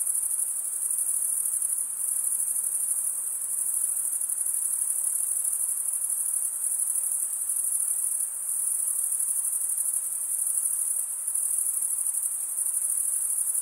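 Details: Massed cricket stridulation forms a steady, piercing high-pitched drone with slight ripples in intensity every few seconds. No birds, voices or music are present.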